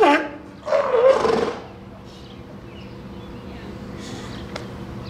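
A seal gives two hoarse, bark-like calls in quick succession, then falls quiet.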